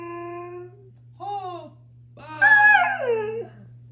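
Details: Siberian huskies, four together, howling: a steady held tone, a brief arched howl, then a loud burst of several overlapping wavering voices sliding downward, with a constant low hum behind.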